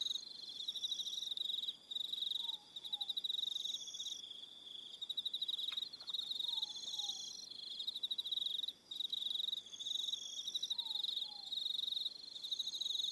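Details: High, shimmering pulsed trills from many crickets fill an evening on Aroha Island, New Zealand, broken by short dropouts, with faint falling two-note whistles and a single brief click heard underneath.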